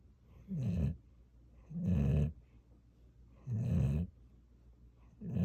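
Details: Pet dog Gyeoul snoring: four deep, throaty rumbles, each lasting about half a second, spaced around one and a half seconds apart, with near silence between breaths.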